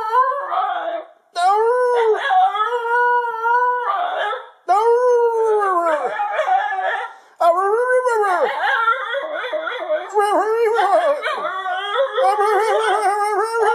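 A Basenji howls in loud, wavering, arching notes with yodel-like bends, in several bursts.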